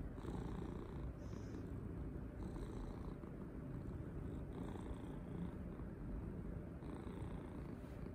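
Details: A cat's loud purr during petting and cuddling, a constant throaty vibrating rumble, overlaid by short soft rustles of hands moving through fur at intervals of one to two seconds.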